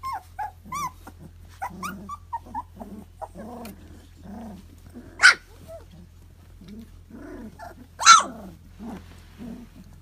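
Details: Two-month-old puppies from a newborn litter, playing; short harmonic yips, whines and soft growls come in irregular bursts throughout, with two sharp, loud yelps near the middle and end, over a low steady hum.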